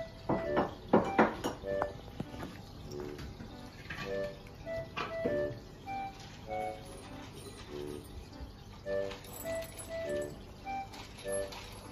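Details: Soft tonal background music over splashing and pouring liquid sounds, with faint speech and no animal voices.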